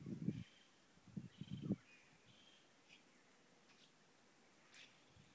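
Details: Howler monkeys calling at San Juan del Sur, a few deep, gruff grunting roars in quick bursts at the start, then quiet with scattered high bird chirps in the background.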